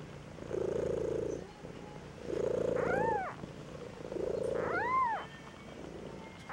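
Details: A 2-week-old Maine Coon kitten voices displeasure with buzzy grumbles and thin, arching mews.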